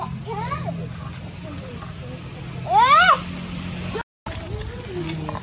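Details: Baby monkey Lucas in Cambodia cries and calls while being dragged by the leg by Big Bertha; a loud rising-falling squeal near three seconds follows fainter chevron-shaped squeaks, over steady background hum and a high constant whine.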